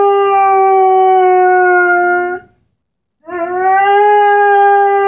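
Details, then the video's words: Singing Airedale Terrier, 10 months old, named Henry, with his orange squeaky ball: two long, level, clear howls separated by a short gap, the second beginning with a gentle rise in pitch. "Henry, the singing Airedale"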